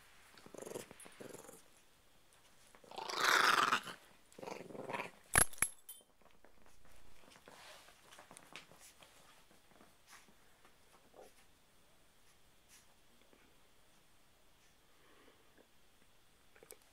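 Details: Dogs indoors, a chihuahua puppy and a pitbull-chihuahua mix named Mia and Lily, are told to be nice. A rough, broad growling burst is followed by shorter growls, a sharp knock, and then quiet room noise with faint rustling.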